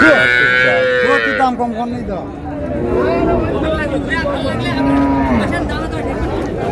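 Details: At Raniganj cattle market, Dinajpur, July 2, 2026, among cows with calves, a bellowing moo fills the first second and a half, then fades into dense crowd noise and men's bargaining voices.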